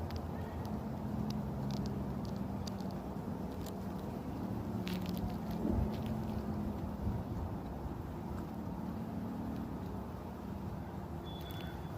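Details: Steady low rumbling background noise with scattered faint crackles and no animal calls.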